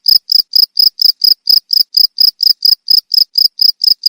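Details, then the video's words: Shrill cricket chirps, played to scare off rats, come in an even train of short high pulses, close to four per second, with no other noises. "SUARA JANGKRIK"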